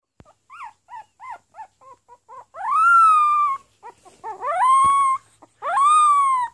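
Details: Pomeranian puppy trying to bark: short high yips rising into long sustained howl-like notes with a wavering tone, three drawn-out cries between bursts of brief squeaks.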